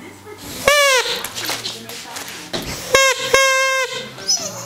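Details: Siberian Husky, 17 months old, tilting its head and talking back to a whistle: a short drawn-out vocal note, then two longer, steady, strongly harmonic yowling notes near the end, with faint room noise between.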